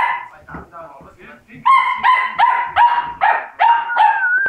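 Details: Labrador Retriever puppies saying goodbye to their siblings; after a soft, murmuring start comes a run of about seven high, tonal yelps that slide downward, each lasting around half a second, then a drawn-out whine.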